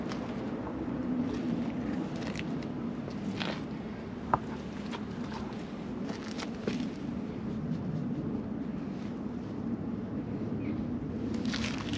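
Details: Outdoor ambience with distant traffic hum, footsteps and small clicks, and no animal voice heard.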